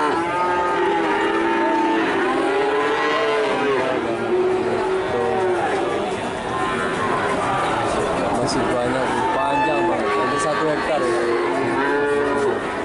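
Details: Cattle at a sale lowing continuously, many overlapping moos, some with wavering rising-and-falling pitch, set against constant crowd chatter and busy background noise.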